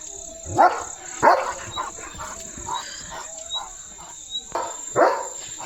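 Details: Pet German Shepherd Leo racing after catching sight of another dog, giving a few sharp, punchy barks spaced about half a second to several seconds apart, with softer noises between and a constant high-pitched hum behind.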